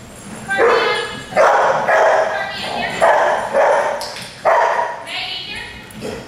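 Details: Dogs in a daycare group barking, with nuisance, alert and demand barking all present: harsh, broadband barks in rapid bursts about every half second to second, some overlapping, with faint human voices underneath.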